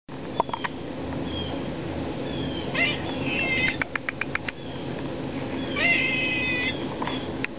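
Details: Squirrel crying in short, high, thin squeals with faint harmonics, given in scattered bursts among sharp clicks over a steady background hiss.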